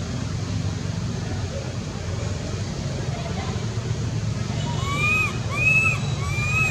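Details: A baby pigtail or macaque monkey near Angkor Wat gives three plaintive, arching cries, calling for its mother, after a stretch of low rumbling traffic and water noise.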